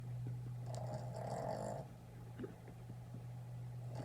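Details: A red Boston Terrier puppy snores while sleeping and dreaming, a low rumbling drone with a brief nasal surge.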